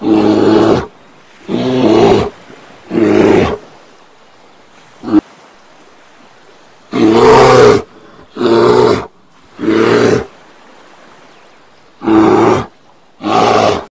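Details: Repeated harsh bear roars in uneven bursts, several close together, then a quiet stretch with one short snort, followed by more throaty roaring.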